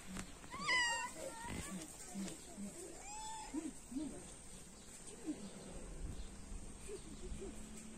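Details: A kitten climbing into a lunch box to eat, though it ends up not eating, gives a few short, high, tonal meows: a sharp rising-falling one near the start and a softer arched one a few seconds later. Low voices and background noise run underneath.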